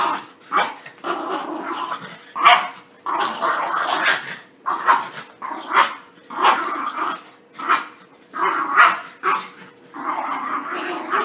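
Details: Play-fighting puppies after bath time, a busy run of yappy barks and gravelly growls, bursts coming roughly every second with little rest between them, a faint steady hum in the background.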